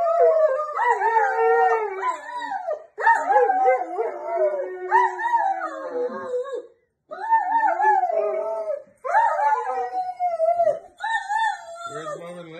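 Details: Two dogs, a Great Dane and a Poodle, crying after the pitbull was taken out for a walk without them; sustained mournful howls that bend downward and waver, in several long phrases separated by brief pauses.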